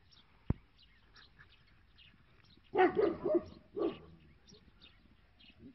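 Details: Tibetan Mastiff from Zhengzhou, China, giving a short burst of two or three deep, rough barks close together, then a single bark after a pause, with small birds chirping faintly in the background.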